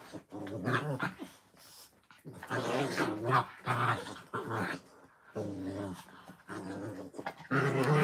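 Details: Playing puppies growl in rough, rumbling bouts of one to two seconds inside a small room, with brief quiet gaps between bouts and a soft voice heard now and then.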